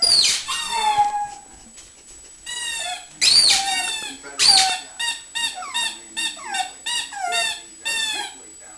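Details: Bessy, a pet pug, howls and yelps because she wants her toy: three long raspy howls sliding downward, followed by a quick string of short, rising-and-falling yips.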